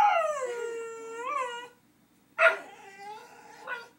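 A dog howls in long, wavering notes that slide down and then rise again, joining along with a clarinet.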